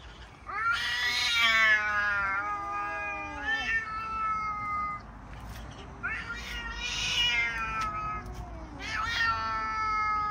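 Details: Confrontation between two cats, Salami and Charlie, a white and black male: loud harsh caterwauls in three bursts, each rising then falling, overlapping wails with rough noisy tones.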